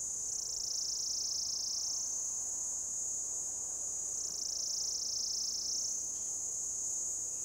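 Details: An orange-coloured cicada on a lichen-covered old deodar trunk in a Jabbarkhet forest, Uttarakhand, Himalayas, belts out a shrill, continuous electric buzzing mating call, modulated by its abdomen; the tone dips lower briefly, then climbs back to a piercing whine.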